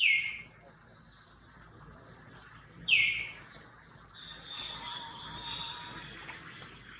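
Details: Baby monkey Jody, a newborn, cries loudly in the hands of kidnapper Spring: two piercing falling squeals about three seconds apart, then a rougher hissing, breathy stretch of noise.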